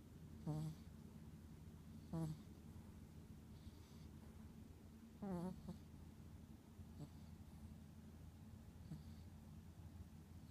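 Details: Little snore of a sleeping Chihuahua: three short, nasal, buzzy snorts about two seconds apart in the first half, then faint breathing over a quiet low hum.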